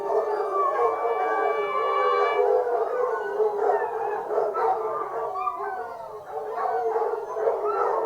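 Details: Pack of fox hunting hounds singing together during a hunt, a thick chorus of overlapping wavering howls and bays, with a faint horn note in the first seconds.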